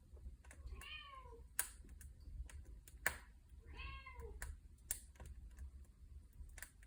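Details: Cat by a fireplace giving two drawn-out meows about three seconds apart, each rising then falling, with loud wood crackles and snaps between them over a low fire rumble.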